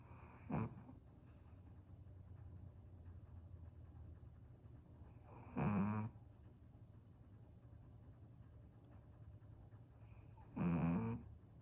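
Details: A black Pekingese, a flat-nosed breed, snores while fighting off sleep and possibly rolling over, giving a low rattling snort at widely spaced intervals.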